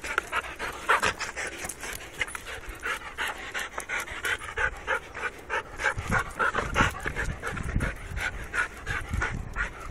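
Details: Restless Labrador Retriever panting rapidly and irregularly, several breaths per second, with thin whine-like tones running through the breaths and soft low thumps in the background.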